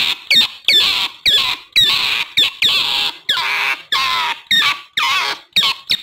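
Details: Recording of an otter meant to lure wild otters: a steady run of loud, rasping screams, roughly one every half second, each starting with a quick rising note before a hoarse, sustained squeal.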